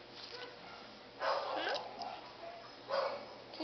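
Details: Corgi dachshund mix dog barking: two short harmonic barks about a second and a half apart, with faint background voices.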